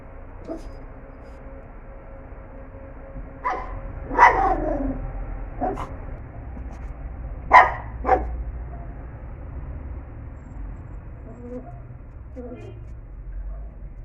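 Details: Pinscher named Zeck, a pet dog, angrily trying to catch a fly: a few sharp, separate barks and yips scattered across fourteen seconds, loud bursts near the fourth and seventh seconds, then softer whines toward the end over a low steady hum.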